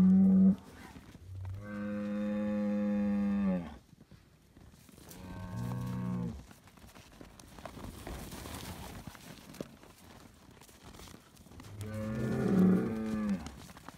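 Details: Highland cattle bull on a farm in Finland, fed bread, gives deep, harmonic-rich moos: a short one at the start, a long drawn-out bellow of about two seconds, a brief lowing, then a final long moo near the end.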